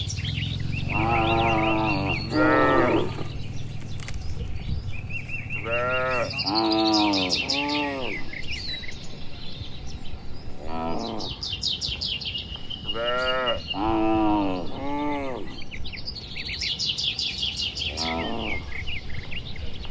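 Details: Dozens of well-kept cattle walking home to the shed in the evening, calling back and forth in a village setting; clusters of strong, harmonic moos separated by short pauses, over low background rumble and occasional bird chirping.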